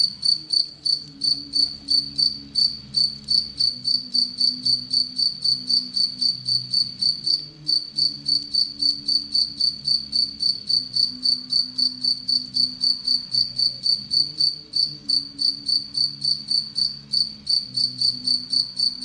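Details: Steady chirping from captive Anadrymadusa retowskii, a relatively aggressive tettigoniine that preys on Egyptian locusts: bright, pure high pulses repeated nearly four times a second for a long stretch, with a soft low droning hum behind.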